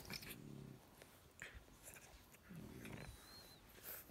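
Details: French bulldog puppies, a chocolate male and his lilac fawn sister, play fight on a couch, trading low, throaty grumbling growls in two short bursts.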